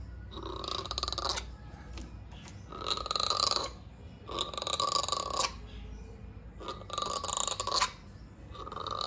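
Rough, belching grunts from a langur come in bursts about every two seconds, each lasting over a second. These harsh calls signal anger and readiness to fight.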